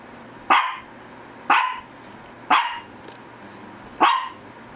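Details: Shih Tzu barking indoors: four short sharp barks, each about a second apart, evenly spaced with quiet gaps between them and a faint steady hum in the background.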